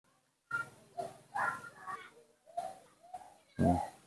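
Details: Baby monkey Nomi, cared for at home, calling while his father is not nearby: a series of short tonal squeaks and chirps in separate bursts, ending in a louder, harsher cry.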